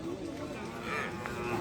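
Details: Cattle lowing at a weekly Monday cattle and goat market in Brahmanbazar; a sustained, low, harmonic moo runs under a busy background of market voices and chatter.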